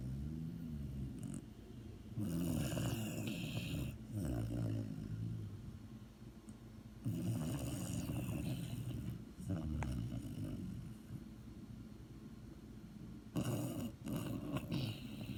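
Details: Snoring from a sleeping dog, deep raspy rumbles in bursts of two to three seconds separated by short gaps, breathy hiss on the inhalations, a few soft clicks.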